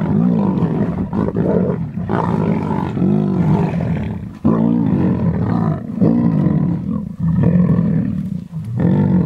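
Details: Feeding frenzy of the Munghene lion pride on a young rhino at Londolozi. Several animals give throaty, grinding growls that swell into sharp snarling outbursts, with short gaps of quieter rumbling between.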